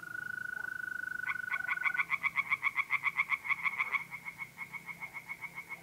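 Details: Pond-side tree frogs in North-East Italy on an April night break into fast, rhythmic croaks, several calling together, as a mole cricket's unbroken whistling trill runs beneath and continues after they fade.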